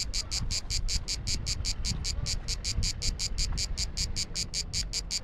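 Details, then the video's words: Pulsed, high, dry buzzing of a cicada in Croatian summer heat on Biševo island, roughly five clicks per second in a steady train over a low rumbling background. "Clicking cicada"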